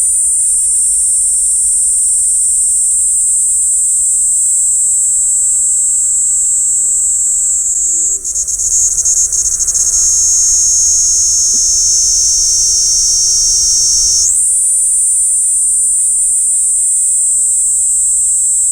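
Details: Kaempfer cicada song captured with a parabolic microphone: a sustained piercing high buzz, gradually falling in pitch, then briefly broken and restarting at full strength near the end.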